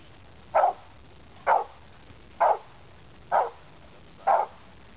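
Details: Brutus, an American Pit Bull Terrier, barks during protection training on 4/10/08: five short, deep barks evenly spaced about a second apart, with quiet background between them.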